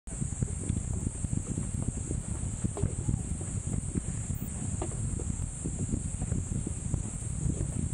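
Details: Cicadas on Gunung Brinchang, Cameron Highlands, Malaysia, their song likened to Japan's niinii-zemi: a continuous, steady, very high shrill hiss running unbroken from start to end, over low rumbling wind or handling noise.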